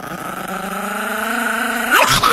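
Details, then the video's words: Angry Chihuahua growling steadily, a low sustained rumble with a faint whine, building louder and rising into a sharp yelp near the end. "The most Angry and Funny Chihuahua Compilation"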